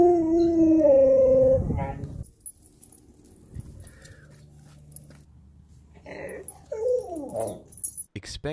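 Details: Reunited abandoned Chihuahua crying beside its owner in a home: a loud, wavering whine slides downward over the first two seconds, then quiet, followed by shorter broken whimpers and human voices.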